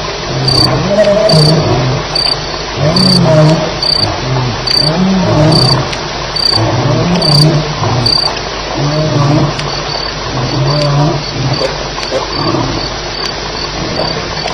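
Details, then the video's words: Deep snarls and moaning growls, roughly one per second, from lions fighting around 2am at Elephant Plains, 9 July 2010, under a constant backdrop of rhythmic cricket chirps. "Lions Fighting - Sounds"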